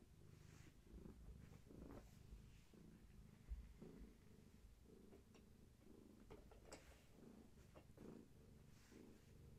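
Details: Gaia, a long-haired tabby cat pregnant with many kittens, purring indoors while her kittens are active and she rubs herself against a person holding her steady; a low, continuous rhythmic rumble pulsing in steady breaths, with a few soft rustles.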